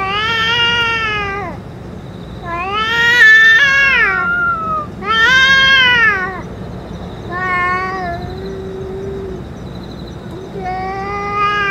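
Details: Stray cats around the boss cat that has eaten food and medicine: a run of loud, strained, wavering meows close together, some rising then falling, with bright overtones and a low background hum.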